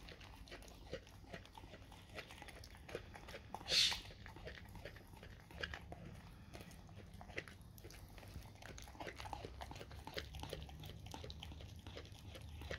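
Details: A dog chews raw cow tongue with moist, sticky bites and soft crunches spread unevenly over a low constant hum. One brief sharp hiss rises partway through.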